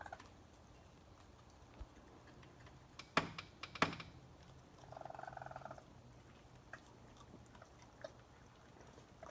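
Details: Raccoons, a mother with her young, feeding at night around 1 am near a porch; one short, buzzy, rapidly pulsed chirping trill midway, preceded by two sharp knocks and followed by faint scattered ticking sounds.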